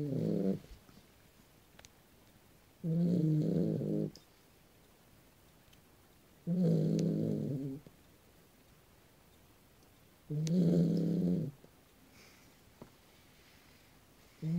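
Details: Dogue de Bordeaux snoring while asleep: deep, rumbling, low snores, each about a second long, repeating every three to four seconds, with quiet pauses between breaths.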